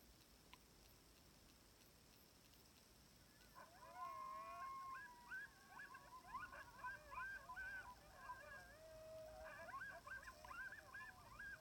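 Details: Sixteen timber wolves howling together on a hill in Wrangell-St Elias National Park, southeastern Alaska, September 2018, filmed from about 700 yards with an iPhone 7 through a spotting scope: overlapping wavering howls join in after a quiet start, with yips mixed in.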